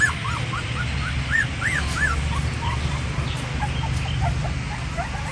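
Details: Crying puppy of an Indian Pariah dog, a stray mother checking on her litter as feeding begins; high arched whines rise and fall in quick succession, then grow softer and more scattered over a constant low hum.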